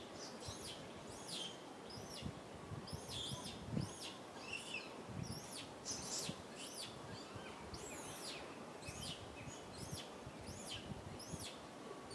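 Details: Little monkey named Rain sits on a tree crying loudly for milk from mama Rany; a long series of sharp, arching, high-pitched whines repeats about twice a second against a constant natural background hiss.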